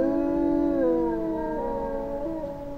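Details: Howling wolves in the Finnish taiga, a small Eurasian pack; overlapping drawn-out tones step down in pitch and waver slightly, fading a little toward the close.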